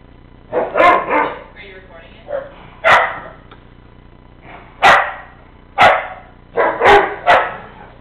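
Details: Two dogs, a Weimaraner and a Mastiff, playing together; short broadband barks and gruff vocal bursts come in irregular clusters about every one to two seconds, with some human speech mixed in.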